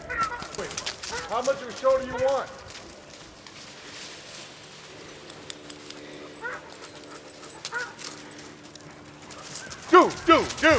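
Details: Irish Wolfhounds playing in the fall of 2010 give short arched yipping barks in a cluster over the first two seconds, then scattered yelps, and a louder burst near the end, while a person keeps calling and coaxing them.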